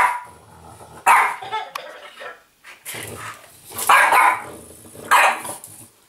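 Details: Apple, a French Bulldog, play fighting an interactive Legendary Yoda toy, lets out a few sharp, husky barks about a second apart, with quieter snorting growls and pauses between them.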